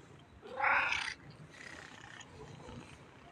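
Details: Friendly black cat calling once with a loud, short, harsh meow, followed by quiet background rustle and faint sounds.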